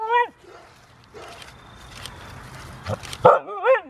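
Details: Dog at a costume party, giving short high yips at the start and end, each rising then falling sharply, with a burst of noisy sound and rustling between them.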